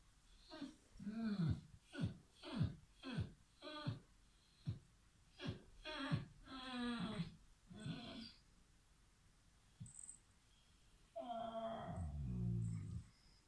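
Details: A Basset Hound being chased off a bed by a cat gives a run of drawn-out, wavering moans and whines that rise and fall in pitch.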